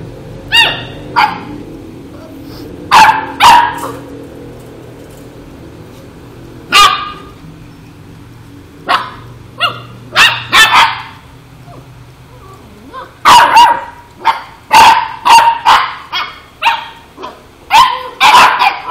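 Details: Labrador barking in loud, sharp bursts, single barks and quick doubles or triples separated by short pauses, with a faint low hum underneath.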